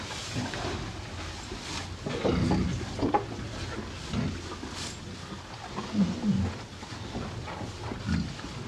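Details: Two cows (Bos taurus) on a farm chew hay, with crunchy, rustling bites and low breathy snorts in a slow, uneven rhythm.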